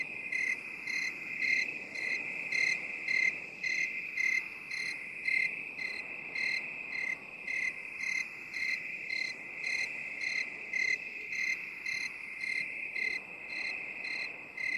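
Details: Crickets rendered in binaural 8D for relaxation: regular high-pitched chirps roughly every 0.7 seconds, about twenty in sequence, layered over an unbroken shrill trill that gently sweeps from side to side.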